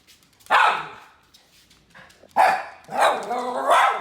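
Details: Teddy Bungoo, a miniature red poodle, demands a treat with sharp, loud barks: one bark, a pause of nearly two seconds, then three quick barks in a row, in a quiet indoor setting.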